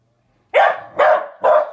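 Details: Puppy barking at a new toy ball that makes funny noises: three sharp, harsh barks spaced about half a second apart, each loud and broadband, with silence before the first.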